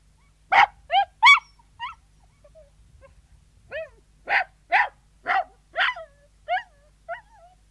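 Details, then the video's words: Indoor Sealyham Terrier barking and yelping: three quick loud barks open, a lull with soft whimpers follows, then a run of six rapid barks, each trailing into a thin, whining yelp. "Sealyham Terrier Yelping & Barking, Interior"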